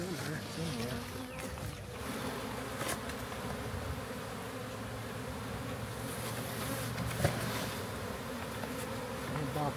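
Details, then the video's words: Massive honey bee swarm found in a backyard, captured and housed in a new hive: continuous dense buzzing of many bees with a low droning hum, broken by occasional clicks and knocks of frames being handled. "Country Man Captures Massive Honey Bee Swarm!"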